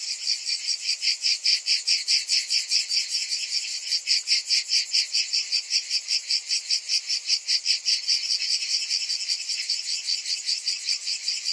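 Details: Summer chorus of cicadas, an intense sizzling buzz beating in fast regular pulses, roughly two and a half per second, sustained without pause or other sounds.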